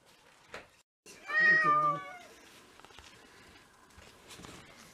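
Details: Domestic cat indoors on a snowy day in February 2023, in a household of six mixed-breed cats, giving one loud drawn-out meow of about a second with a slight falling bend, followed by soft room noise and faint clatter.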